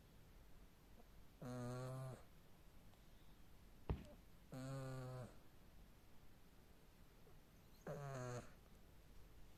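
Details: Sleeping little cat snoring like a man: three low, rattling, throaty snores, each roughly half a second long, spaced about three seconds apart, with a single sharp click between the first two.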